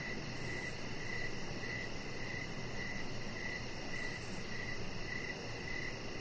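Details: Evening crickets near a deck where a chihuahua puppy rests under decoration lights, giving brief high chirps at a regular pace, roughly one every 0.6 seconds, against constant broadband hiss and faint brief high rustles.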